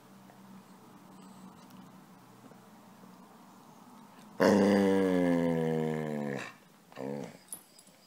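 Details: A pet dog that wants to be petted gives one drawn-out, harmonic-rich whine of about two seconds, wavering slightly in pitch. Two short, softer whimpers follow, over a quiet low hum.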